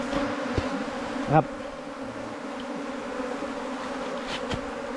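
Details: Bee colony nesting in a long bamboo culm, four metres in length: continuous low buzzing drone, unbroken and level, with a brief sharp tap early on and faint rustles.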